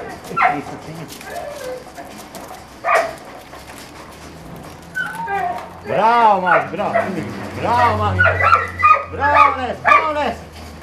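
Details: Kurzhaar, a German Shorthaired Pointer, at a hurdle while retrieving a fox; scattered yips at first, then a burst of arched, rising-and-falling whines in quick succession, mixed with a man urging the dog on.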